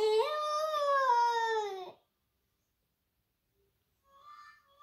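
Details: Boxer puppy Gizmo, indoors, howling along each time a recording of another puppy howling is played: one sustained tonal howl that rises, then slowly sags over about two seconds, followed by silence and a fainter, higher wavering howl.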